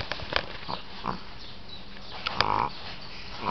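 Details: Miss Piggy, a Shih Tzu, snores in a series of short snorting, grunting breaths, a few louder rattling snorts standing out.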